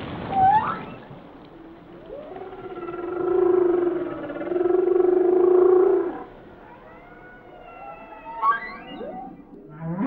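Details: Whale song opening with a rising squeak, then a long moaning tone in two swells, followed by steady high whistles and fast upward sweeps, all over soft underwater hiss.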